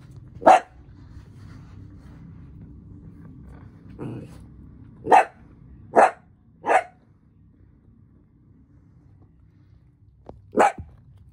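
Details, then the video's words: Miniature dachshund puppies playing: a few sharp, high single barks spaced irregularly over several seconds, with a soft growl between them and quiet room noise. "Miniature dachshund puppies playing!"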